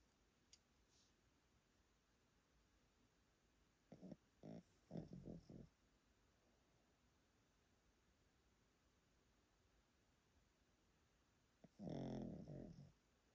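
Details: Old Pomeranian dozing in a quiet room in Japan, giving a cluster of short choppy snorting breaths around the middle, then silence, then one longer, louder rasping snore near the end.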